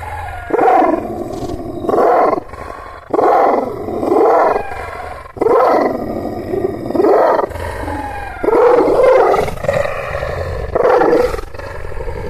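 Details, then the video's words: Angry, aggressive Kangal shepherd dog of the Aksaray Malaklı type giving deep, roaring barks in bursts of about a second, repeated every one to two seconds, with low rumbling background between them. "Aksaray malaklisi Kangal çoban köpeği Anadolu aslanı vahşi hırçın kızgın köpek havlaması urmesi sesi"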